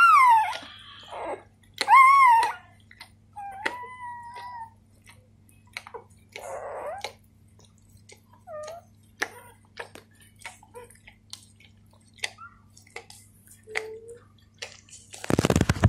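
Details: Newborn Golden Retriever puppies being cleaned by their mother, giving thin high whining squeals that bend up and down, scattered among soft wet licking clicks and quiet gaps, ending in a sudden burst of loud broadband noise.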